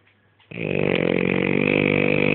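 A French Bulldog snores with a loud, steady, fluttering rattle on the breath.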